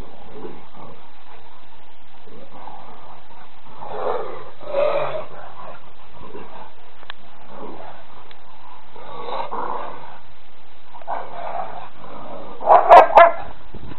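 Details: Two rescued Rottweilers playing in a garden: low, rumbling growls come in short bursts every few seconds, with a sharper, louder grunting growl near the end over a steady muffled background.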